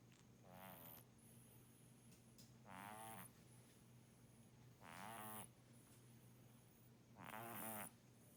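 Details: Kitten snoring in its sleep, four drawn-out rattling breaths at regular intervals, quiet and nasal, with a faint constant hum underneath.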